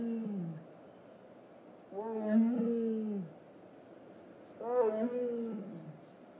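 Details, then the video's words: Captive tiger at a big cat rescue sanctuary, described as talking: two drawn-out, moaning vocal calls with clear harmonics, each about a second long, gently rising then falling, separated by quiet pauses, with a woman's voice heard nearby. "Talking tiger."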